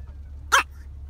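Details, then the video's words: Tiny dog sneezing: one short explosive burst of noise lasting a fraction of a second, otherwise quiet with a low background hum. "Tiny dog talks and sneezes cartoon style"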